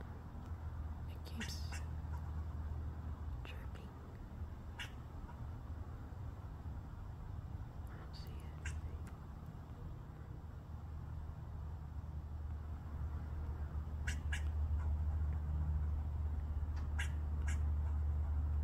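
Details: A squirrel on a roof, eating from the gutter, gives short, sharp chirps in scattered bursts over a steady low rumble.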